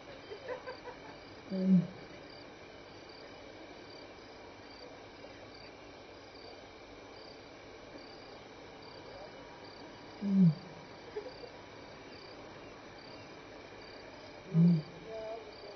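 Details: At Elephant Plains Game Lodge, South Africa, a lion walking by calls to make contact, 6-7 PM, May 26, 2011: three short deep grunts spaced several seconds apart, with steady insect chirping throughout.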